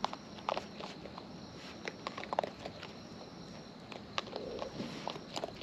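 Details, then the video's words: Close-range chewing by wild raccoons while eating: sparse sharp crunches and soft rustling bites, a few brighter clicks around the second and fourth seconds, over low background hiss. "Wild Raccoons & ASMR Chewing Sounds"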